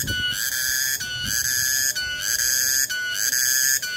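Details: Tonggeret, a cicada, on 21 August 2020: shrill, whistle-like ringing made of steady pulses roughly a second apart, each ending in a brief dip, sustained throughout with a little low rumble beneath.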